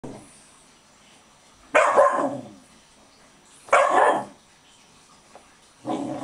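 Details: Pet dog, excited just after a warm bath, barking: three loud, rough single barks spaced about two seconds apart, with quiet indoor room tone between them.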